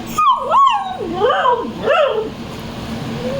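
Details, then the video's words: An Indian dog talking with its owner while stretching: a run of expressive whining, yodel-like vocalisations swooping up and down in pitch, several linked wavering cries over about two seconds, then low background hum. "Indian dog Speaking"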